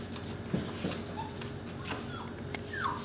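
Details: Pure red golden retriever puppies from a litter including three males, kept indoors at a breeder in Illinois, give soft whimpers and thin rising whines, with a brief high squeal near the end, over a steady indoor hum.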